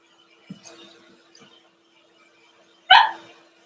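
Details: Blenheim Cavalier King Charles Spaniel puppy from a litter of five born at New Year, in the Red Barn Cavaliers puppy pen on pick-up day; one sharp, bright bark near the end after a faint soft thump and quiet room noise.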